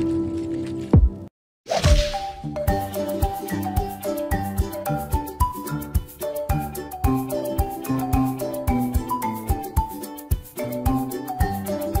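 Plinking mallet-percussion music with no animal voices, after a sharp crack and a brief silence.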